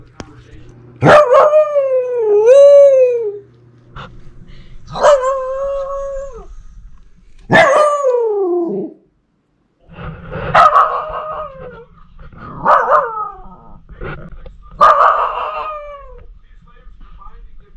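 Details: Talkative female Pomsky puppy howling at her sister: six vocal bursts, the first three clear wavering howls each about one to two seconds long, the later ones rougher, more broken yowls, with brief gaps and a low hum.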